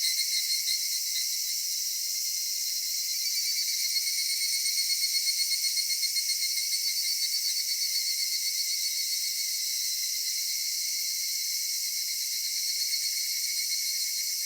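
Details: In a cedar grove at summer dusk, cicadas fill the air with a steady shrill buzz, a fine pulsing texture running through it and a brief swell in loudness midway.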